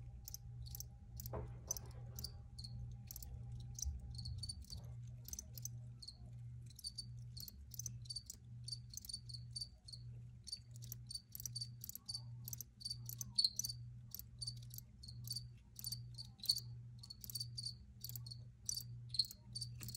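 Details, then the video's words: Crickets chirping steadily: rapid high-pitched pulses that grow denser through the recording, set against a soft pulsing low hum. "Free Cricket Sounds"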